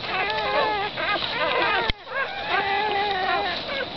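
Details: Black greyhound puppies, a litter of six beside their mother Hoochie Mama, give a steady chorus of thin, rising and falling whimpers. A sharp click breaks it midway, then the squealing resumes.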